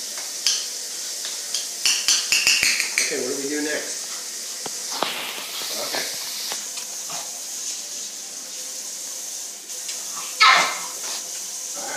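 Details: Clinking dishes, cutlery and stirring fill the kitchen, with a short stretch of voice partway through. No clear animal call stands out.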